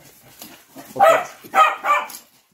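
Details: Patterdale Terriers out chasing give three loud, sharp barks in quick succession, the last two close together, over faint background rustle.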